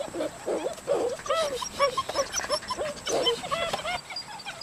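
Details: Playful Dutch Shepherd pups from a litter born July 18, 2013, squabble together, giving rapid bursts of nasal yelps and little whining squeaks in uneven clusters, with a quieter gap between two busy flurries.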